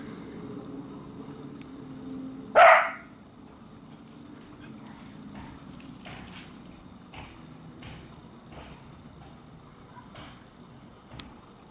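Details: A female Cardigan Welsh Corgi, 1 year 11 months old, on patrol outdoors, gives one loud, sharp bark while chasing squirrels off her territory.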